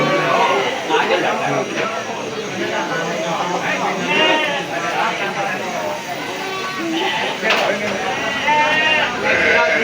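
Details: Sheep at the Jigjeg livestock market in Bumijawa, Tegal regency, Indonesia, July 2024; wavering bleats from many animals rise over a dense crowd of voices and market bustle.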